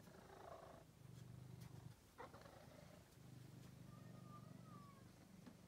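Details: Angelus, a male pet cat once found sick and thin in a basement, purring softly: a low rumbling drone in two long stretches separated by a brief pause, with faint clicks and a thin whistle-like tone in the background.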